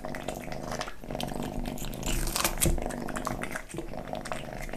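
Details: Kitten eating, close up indoors: a steady low rumbling purr-like drone with layered harmonic bands runs under wet, clicking chewing and smacking bites, growing louder mid-clip and then easing.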